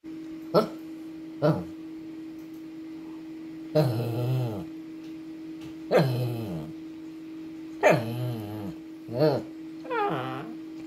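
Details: Bubbles, a two-year-old Shih Tzu, demands attention and stays stubborn until he gets what he wants, giving short yips and longer whining, moaning vocalizations, about seven calls over eleven seconds, indoors with a steady electrical hum.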